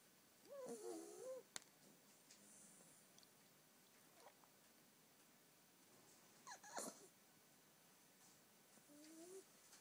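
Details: Ten-week-old female Staffordshire Bull Terrier puppy snoring while asleep indoors; quiet, squeaky, whistling breaths with a wavering tone, heard a few times between soft rustles and a sharp click.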